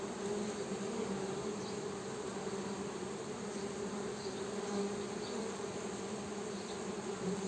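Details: Honey bees producing an unbroken buzzing drone, a dense low hum with a faint higher band, slight surges in volume throughout, otherwise even and uninterrupted.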